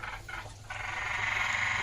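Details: Frogs calling late at night during a frog-spotting outing: a dense, steady chorus of rapid pulsed croaks that swells after a brief dip, with a faint thin whistle-like tone above.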